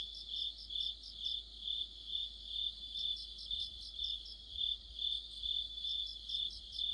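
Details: Crickets chorusing with other insects in deep autumn under a streetlamp, rhythmic shrill chirps swelling and fading about twice each second over a constant high ringing tone.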